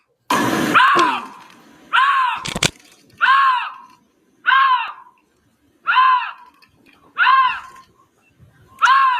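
A lynx gives loud, nasal, arching mews, repeated about every second and a half.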